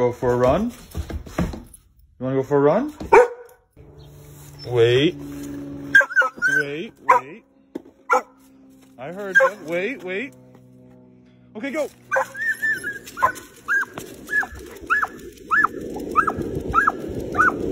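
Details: Pet dog among people talking. Voices dominate the first half. After that comes a run of short, high, evenly spaced yips, about one per second, over a hissing background.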